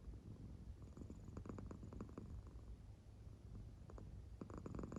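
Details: Claire, a sleeping American Shorthair house cat, purring softly; deep, low rumble broken by brief crackly breath surges, two within five seconds.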